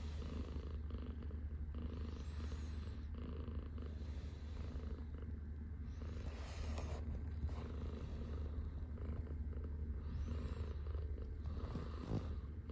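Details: A Scottish Fold lying on a person's arm early in the morning purrs without pause, a low, even rumble with faint soft rustles now and then in a quiet room.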